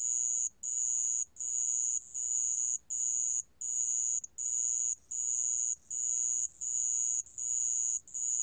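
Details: Sand cricket singing a thin, bright, sustained trill chopped into regular bursts with short gaps, about eighty per minute, over near silence.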